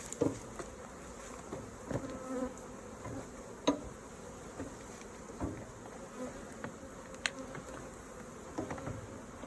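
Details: Hive bees droning softly through a beekeeping honey harvest, with a steady low hum and faint tonal whine. Irregular clicks and bumps of frames and tools sound about every few seconds.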